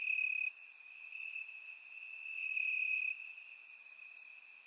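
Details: Night chorus of crickets in Bulgarian grass on a warm summer evening, recorded in surround sound: one unbroken high-pitched trill with occasional sharper chirp bursts layered on top, loudest at the start.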